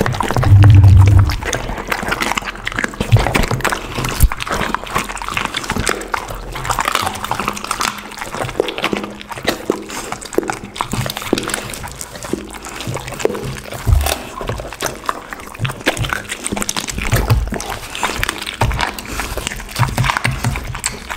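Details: Dog, a pit bull, chewing raw chicken and duck with cauliflower for lunch; steady sloppy, wet mastication with quick crackling bites about two or three per second, a loud thump at the start.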